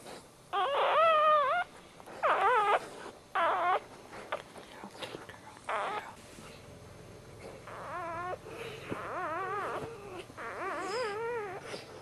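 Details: Just-born male Dachshund puppy, first of the litter, gives a series of short, quavering squeals and whines roughly every second or two, the later cries softer against low background noise.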